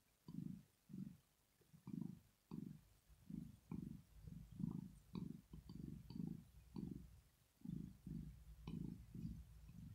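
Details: Rosetta, a female domestic cat, purring while asleep, a sign of pleasure or relaxation; low rumbling pulses swell and fade about twice per second in a steady breathing rhythm, with faint soft clicks above.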